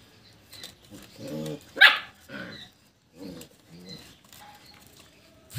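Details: German Shepherd puppies fighting: uneven bursts of whiny, growling yelps and short barks, with one sharp, high squeal near the middle and brief quiet gaps between scuffles.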